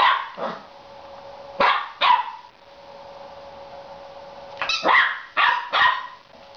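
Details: Annoyed seven-week-old female Border Collie puppy playing with her new toy gives scattered short, sharp barks, a pair early, then a quick cluster of four near the end, over a constant low hum.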